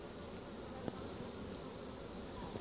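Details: Honey bee swarm captured with a pole bucket on 25 March 2015, a few bees left at the top of the tree; a soft, steady low hum of many wings with faint scattered clicks.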